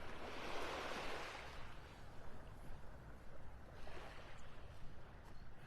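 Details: Surf washing onto a beach with wind rumbling across the microphone, and no animal calls at all.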